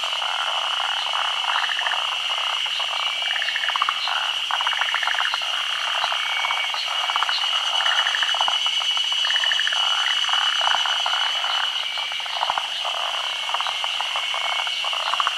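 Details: Forest green tree frogs, a species endemic to Japan, gathered for midday spawning on branches above still water in the rainy season. Rapid pulsed croaks overlap irregularly over a steady high-pitched hum.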